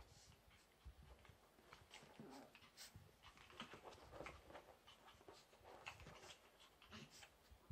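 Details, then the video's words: Two young Chihuahuas, Nezumi at seven months and Pontus at about four months, playing together; soft, quick panting and scuffling clicks run throughout at low volume, with faint talk in the background. "Young chihuahua's playing"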